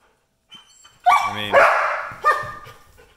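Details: Belgian Malinois, a military working dog kept as a pet with another dog and a tiny dog named Parker, gives a loud harmonic bark-whine lasting about two seconds, then a second sharper bark. A human voice speaks nearby.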